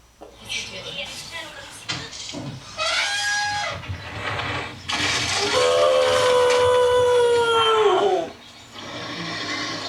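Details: Fred, a pet dog, howling indoors at an elephant in a kitchen towel TV advert: a long, smooth, slowly falling tone, loudest mid-clip, after a stretch of chatter and broadcast sound.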